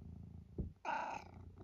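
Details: Indoors in Great Britain on a blustery wet day, Eric, a chatty tabby nearing 12 years old, purrs low, pauses, then lets out one bright rising squeaky meow lasting under half a second before the purr resumes.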